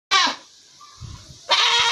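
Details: Baby goat kid in the sunshine, described as sleeping: two loud, harsh, wavering bleats, one at the start and one at the end, separated by a quiet stretch with faint low rustling.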